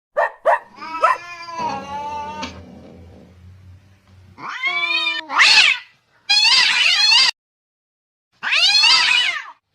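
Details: Fighting cats: a few short mewing notes, then a long harmonic yowl over a low rumbling growl, followed by loud harsh screeches in separate bursts with abrupt silent breaks between them.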